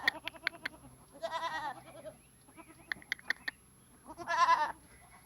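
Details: Goats on a farm, two harmonic bleats about a second long each, wavering and nasal, separated by sharp clicks and knocks; a steady high electronic whine runs underneath.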